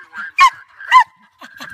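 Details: German Hunting Terriers (Jagd Terriers) Scruffy and Ranger hunting sambar deer in Victoria, Australia: two loud, sharp barks about half a second apart, with softer whining yelps between and after them.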